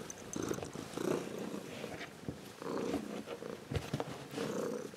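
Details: An adult Ragdoll cat purring up close, pulsing rumbles rising and falling with breathing, broken by brief rustling clicks.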